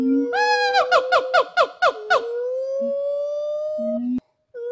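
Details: Rescued gibbon in the rehabilitation forest of WFFT in Thailand, being prepared for return to the wild. A clear rising tonal hoot breaks into a quick run of swooping repeated notes, then stretches into a long, slowly climbing sustained tone.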